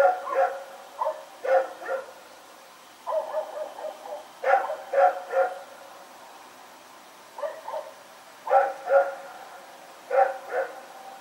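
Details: Rex, a dog, running around and barking at night, recorded on 21 September 2018: short harmonic barks in quick bursts of two to four, separated by brief pauses, over a quiet background.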